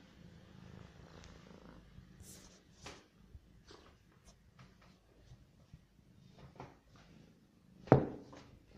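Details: Hungry domestic cat purring while it eats: a steady, low, unbroken rumble holds throughout, with faint soft clicks scattered over it and one sharp knock near the end.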